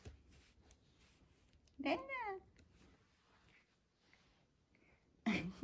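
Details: Lara, a rescued one-month-old gray kitten of wild blood from Paraguay, at play indoors: one short, bent meow that rises then falls with stacked harmonics, followed a few seconds later by a burst of human voice.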